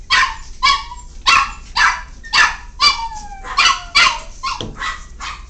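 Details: Miniature Pinscher. High, thin yips and barks from Miniature Pinscher puppies come in a rapid, uneven string, roughly two each second. These are play barks between littermates, bright and squeaky, with some rising whine-like tails.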